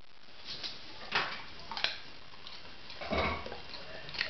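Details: Homer, a male English Springer Spaniel, crunches on a leftover carrot indoors; sharp, dry crackling bites come in scattered bursts, a few loud snaps among softer gnawing.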